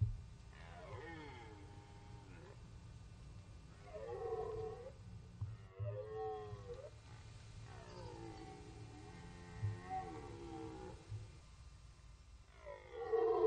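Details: Archival rut recording of red deer at the Orzysz training ground, Poland: a run of drawn-out, wavering, groaning roars with rich harmonics, several in sequence with brief pauses, over a steady low background hum.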